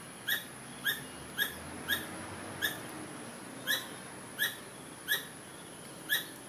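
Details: Strange squirrel sounds: nine clipped, squeaky tonal chirps with ringing overtones, spaced a little over half a second apart, some gaps longer, over a continuous thin high hiss.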